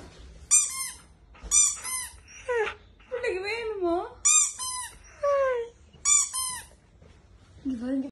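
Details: Dog reacting to a squeaky toy a woman plays with: short bursts of high toy squeaks repeat roughly every second, answered by a warbling, modulated dog moan and whines between them.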